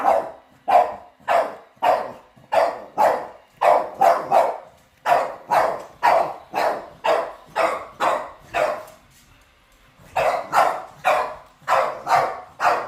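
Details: Pet dogs barking at a robot vacuum cleaner they are seeing for the first time; sharp, loud barks repeated in quick runs of about two per second, with a short pause near ten seconds before barking resumes.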